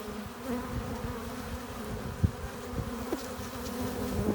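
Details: Many honey bees buzz at the hive entrance as foragers return with pollen and nectar; a dense droning hum with strong low rumble and brief sharp rises as single bees fly past.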